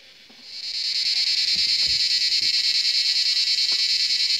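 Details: Cicadas (Cicadoidea) in a forest in India start up at sunset, around 7 in the evening, holding a loud, steady, high-pitched buzz with a fast pulsing shimmer.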